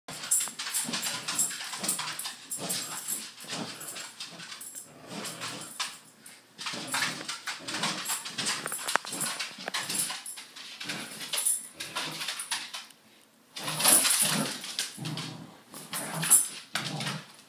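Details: A Corgi fighting with bedsheets gives short, gruff barks and growly huffs amid loud fabric rustling.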